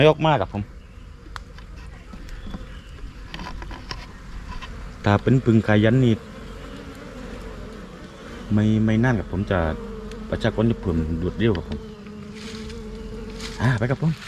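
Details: Asian honey bees, a Thai colony, swarming from the old nest and moving into a new hive box. A steady low droning hum with a faint overtone runs throughout, broken by repeated bursts of a man talking nearby.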